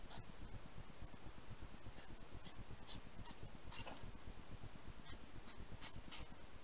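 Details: Hedgehogs fighting fiercely among themselves at night on 8 September give rapid, low, rhythmic huffing and snorting puffs, with a few sharper clicks above.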